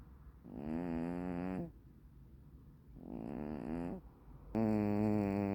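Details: Tuxedo-patterned hachiware cat asleep and snoring loudly, giving three buzzy, humming snores roughly every two seconds with a wavering pitch and short hushed pauses between breaths.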